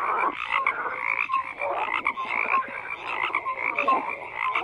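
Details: Frogs croaking in a dense chorus, many overlapping calls layered between low and high pitches, with short whistled notes standing out now and then over the steady din.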